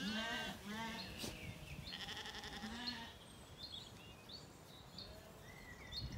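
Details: Zwartbles lambs in an Irish orchard in County Kilkenny, evening, calm after weaning. A couple of short bleats open, then quieter bleats give way to chirping birds and low rustling.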